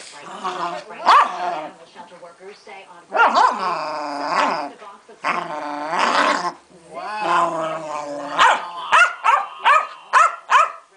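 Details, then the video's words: Pancake, a pet female Keeshond, throws a hissy fit: long, wavering, harmonic growl-moans lasting about a second each, then a quick run of five or six sharp barks near the end. "My beloved Keeshond Pancake has a hissy fit"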